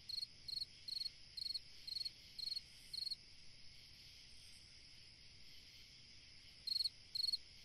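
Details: A cricket sings on a summer night: short, high, pulsed chirps repeated about twice a second, falling silent for several seconds before resuming, over a constant faint high hiss.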